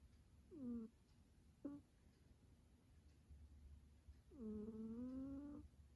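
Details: Snoring pet cat asleep in a quiet room: a short squeaky tonal breath, a brief clipped one, then a longer rising whine lasting over a second, separated by soft low breathing.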